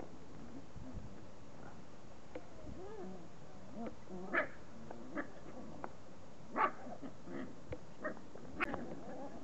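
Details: Puppies forty days old, giving soft, wavering whimpers with rising and falling pitch, broken by a few short, sharp yelps spaced a second or two apart over a steady low background hum.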